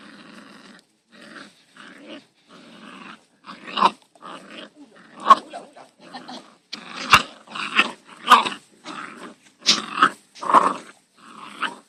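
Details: Five-week-old Labrador Retriever puppies playing in a garden, giving short growls and high yips in bursts about every half second to second, several small voices overlapping, quieter at the start and louder and busier toward the end.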